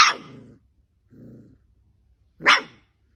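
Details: Puppies barking: a sharp bark opens, followed by a soft low grumbling sound, then a second sharp yappy bark after a pause.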